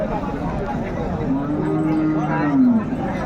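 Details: Improved-breed dairy cow at Raniganj cattle market, Dinajpur, Bangladesh, on Thursday 13 February 2025, among cows and calves offered for sale: one steady, drawn-out low moo lasting about a second and a half, set against continuous human talk and market bustle.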